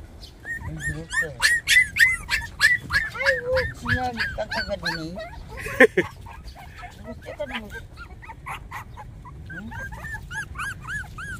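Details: Puppies 24 days old let out a rapid stream of high, arched whines and squeaks that overlap and repeat several times a second. Some gentle voices are heard nearby.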